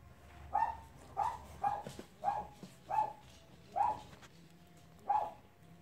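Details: Playing Cavalier King Charles Spaniel puppies give seven short, clipped yelps at a steady pace of about one every 0.6 seconds. Each is mid-pitched and similar in tone, over a quiet background.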